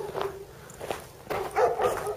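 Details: Domestic dogs heard barking on a walk, likely wanting to talk to a passing dog; several short, loud barks clustered in the second half, with a woman speaking Polish and footsteps nearby.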